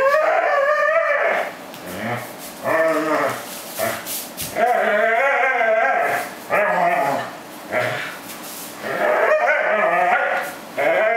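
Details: A corgi gives a run of high, wavering whines and grumbling moans in bursts of one to two seconds while joyfully shaking a plush fish toy; the sounds are joy, not pain.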